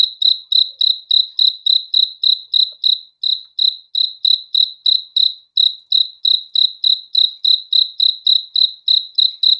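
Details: Crickets at night: a steady run of high, pulsed chirps, each a quick trill of clicks repeating about three times a second, in a clean, even rhythm.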